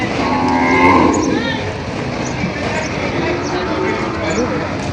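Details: Cattle at the Padre Garcia cattle market in Batangas on July 17, 2026, with breeding cows and heifers on sale: a long, harmonic moo swelling and fading in the first second and a half over steady crowd murmur and distant vehicles.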